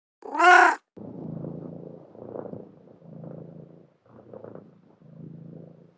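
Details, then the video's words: Cat with a single loud, bright meow at the opening, then a soft, low purr that comes in four or five separate rumbling stretches with short gaps. "ANIMAL SOUND: CAT"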